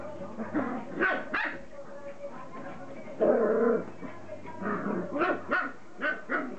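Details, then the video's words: Border Collie puppies from parents Kim and Indi, playing together: short, uneven bursts of yappy barks and yips in quick succession, some louder and longer, with a low hum and faint human voices behind. "Cachorros de Kim & Indi jugando"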